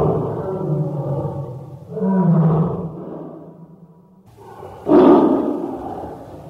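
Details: Tiger giving deep, rough, drawn-out roars and growls, three loud swells each lasting one to two seconds, the last one harsher and louder.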